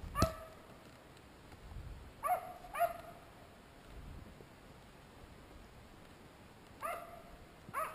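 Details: A one-year-old Finnish Spitz gives its first bird-barks, five sharp, fairly high barks, singly and in quick pairs, spaced unevenly against a quiet background, as a pheasant goes up into a tree.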